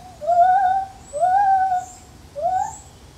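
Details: A lar gibbon in a zoo gives clear, slightly rising hoots, each lasting under a second and repeated about once a second.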